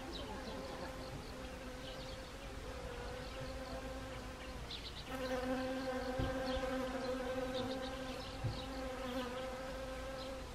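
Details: Honeybees among flowering Siberian chrysanthemum in Gangwon Province, South Korea, autumn, 1 October 2020. A moderate drone jumps louder halfway as a bee comes close, keeping a full, even, layered buzz, with light high chirping throughout.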